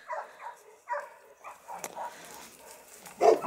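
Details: Dogue de Bordeaux dogs at the Les Dogues de Plaine amateur breeding kennel: a quick pair of barks, then scattered softer woofs and a loud final bark, with a voice calling to the dogs.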